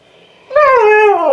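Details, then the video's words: Siberian Husky, upset that its owner is leaving for work, giving a loud, drawn-out vocal howl that starts around half a second in, rises slightly, then slides gradually down in pitch with rich harmonics. "the Husky Talking"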